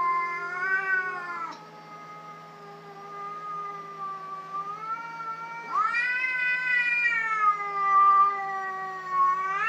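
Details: Cats fighting: long wavering yowls with rich harmonics, one drawn-out tone sliding slowly and then a louder rising howl near the middle that bends and holds, the voices swelling and sagging over about ten seconds.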